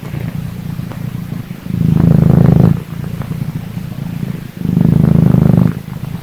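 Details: Freshly woken little cat purring steadily at close range; two loud low rumbling purr bursts around a second long, with softer breathing rumble between them.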